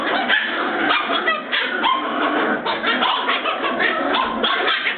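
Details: A dense tangle of sharp yips and barks from Border Terrier puppies at Bois Caiman, several pups calling over one another at once while they 'do the cleaning'.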